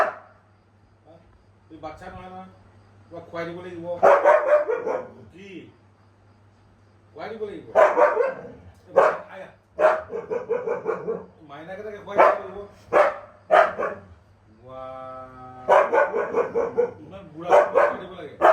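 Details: Winter, a pet Siberian Husky, argues back at his owner with drawn-out, wavering howl-like yowls that rise and fall in pitch. They come in bursts and alternate with the owner's talking.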